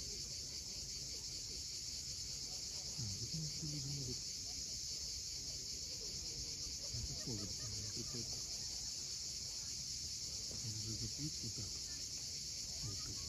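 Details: Cicadas calling at sunset on the steep coast of Cape Fiolent, Crimea: a steady, unbroken high buzzing drone runs throughout, with soft low murmurs from waves and scattered low sounds beneath.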